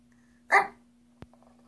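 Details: A female Shih Tzu makes odd "alien" noises while eyeing dog snacks until she gets one: one short, harsh bark over a steady low hum.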